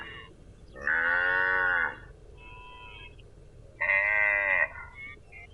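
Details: Cow giving two loud, flat, nasal moos about three seconds apart, the first around a second long and slightly falling, with faint lowing in the gap.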